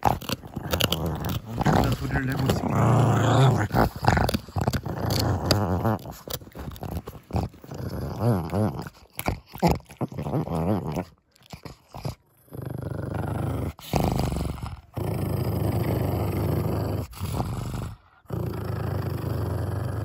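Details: Six-year-old female pug Kongzi guards a bone treat inside a small room. Deep, continuous growling rumbles under a narrator's voice and background music, with gnawing clicks and brief breaks before the snarling resumes.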